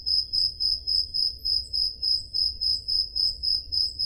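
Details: Crickets chirping through a summer night in Peloponnese, Greece, recorded with a Zoom H5: rapid, bright pulses close to four per second, steady and even, over a soft low-frequency hum.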